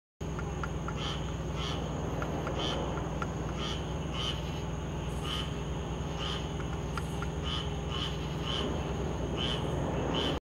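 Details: A squirrel tree frog calling on August 19, 2022 gives short, raspy, quacking notes repeated about twice a second over a low rumble.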